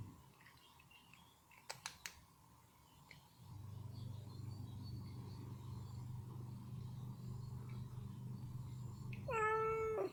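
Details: Ginger cat with chicken meat stuck in her teeth gives one loud, clear, drawn-out meow at the very end, after quiet clicks and a low droning hum indoors.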